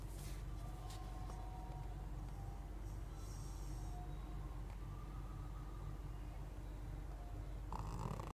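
A Pekingese snores with a low, rumbling, steady sound through its short nose.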